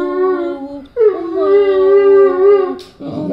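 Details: A Weimaraner indoors gives drawn-out, moaning grunts with a humming, voice-like tone.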